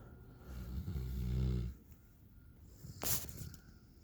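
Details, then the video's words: A 9-month-old male Alaskan Malamute named Raiden, asleep on a back patio, snores: one long, deep, rumbling inhalation swelling and fading over about a second, followed by a short sharp snort or exhaled puff. "9 Month Old Malamute; Raiden snores like his Dad"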